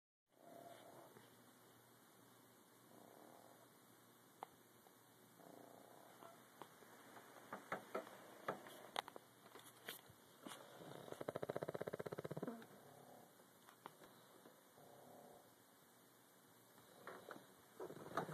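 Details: Two pet pugs sleeping on a bed indoors, snoring together, recorded on a phone: soft, rasping, rhythmic snores, quiet at first and building to a denser buzzing stretch midway, with faint room noise.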